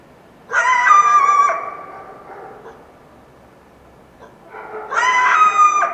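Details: At dawn following a full moon night, a wild coyote in the Washington Cascades foothills gives two loud, wavering, high-pitched yelping bursts about four seconds apart, each lasting roughly a second and trailing off into echo.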